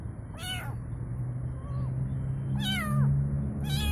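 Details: Kitten crying out for its mother, three bright meows separated by pauses, with a fainter softer mew between them, all above a steady low hum.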